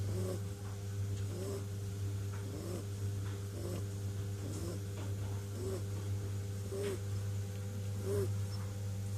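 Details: Sleeping kitten snoring, soft breathy snores with a faint whistling squeak repeated about every 1.3 seconds over a steady low electrical hum.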